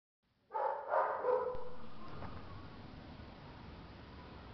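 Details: Two-month-old female Belgian Malinois puppy giving a quick run of short, high-pitched yipping barks over about one second, then falling quiet while faint room noise continues.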